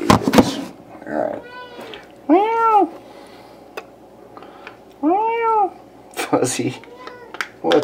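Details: A domestic cat, the only one of three cats yelling, gives loud, drawn-out, rising-and-falling meows, calling insistently while its favourite food is dished into bowls.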